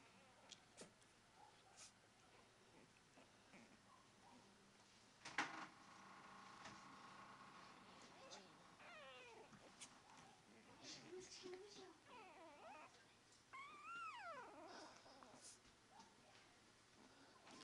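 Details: Pekingese puppies playing indoors give thin, high whines and squeaky yelps that rise and fall, with a sharp knock partway.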